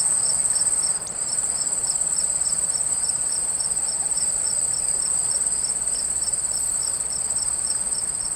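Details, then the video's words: Crickets chirping over a babbling water stream, one high continuous trill with a second caller pulsing rhythmically about three times per second, steady throughout beneath broadband flowing-water hiss. "CRICKETS AND WATER STREAM SOUND EFFECT"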